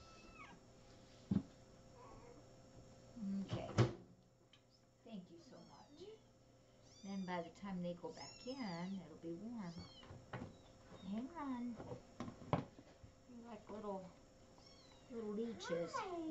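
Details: Little kittens mewing in a rapid series of thin, rising-and-falling high cries, many overlapping, with Spanish speech, a few loud knocks and steady background hum.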